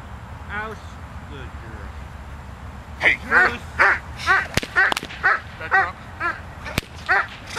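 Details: A working Doberman, Zita, barks hard during protection training on November 24th, 2009: after quieter opening calls, a rapid string of about a dozen forceful barks runs on, punctuated by several sharp whip-like cracks.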